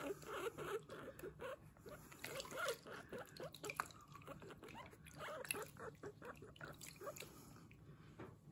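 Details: Bath time for Kurumi the guinea pig, who keeps up a steady stream of small bright "puipui" squeaks throughout while being washed, over dripping and splashing water.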